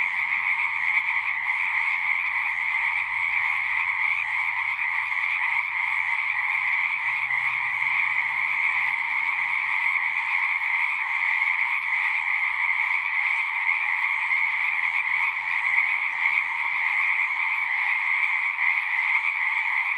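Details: Pond frogs in a horse pasture calling in a thick, constant chorus, recorded on a Zoom device; countless overlapping trills form a steady high hum with little change in loudness, faint low background rumble underneath.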